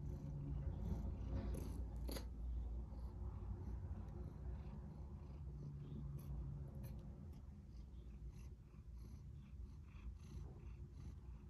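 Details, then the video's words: Tortoiseshell cat wanting to be petted, purring steadily indoors: a low, continuous rumbling throb with rapid regular pulses, softening slightly toward the end, with a few faint clicks and rustles. "Tortoiseshell Cat Wants Pets Now"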